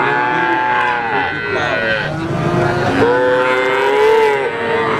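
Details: Three-month-old calves of Simmental, Limousin and Pegon type on sale, mooing in overlapping arched calls; a strong rising-then-falling moo stands out near the end against steady background noise.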